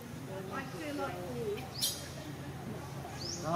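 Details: Monkey; contact call; infant calling for its mother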